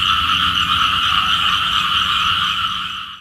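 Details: Small frogs heard in a morning chorus said to call for rain; fast, churring pulsed croaks in two stacked pitch bands continue evenly, then fade out over the final half second.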